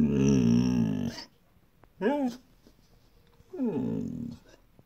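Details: Mirca, a pet Siberian Husky indoors, gives three drawn-out vocal calls: a long wavering moan, a short rising-and-falling yelp, then a bending arched whine, with quiet gaps between.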